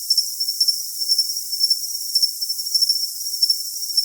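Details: Short stretch of cricket calling: shrill, piercing chirps repeating roughly twice per second over a constant high buzz, with faint higher sparkles and otherwise complete quiet.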